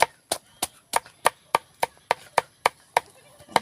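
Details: Rhythmic chopping of wood, sharp strikes about three per second, over a faint steady high-pitched tone.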